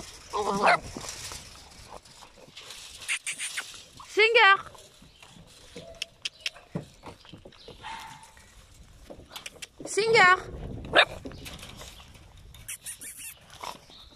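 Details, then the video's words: Singer's puppies at eight weeks old give three separate wavering, rising-and-falling whines spread several seconds apart, with human chatter and handling noises around them. "chiots de Singer 8 semaines"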